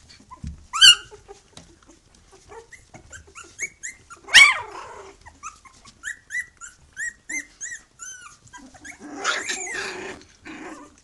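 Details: Litter of three-week-old puppies with their mother Bhoomi, calling loudly: many short high whines and squeaks, rising then falling, scattered through the clip, with a sharp yelp near the start and another midway, plus some shuffling.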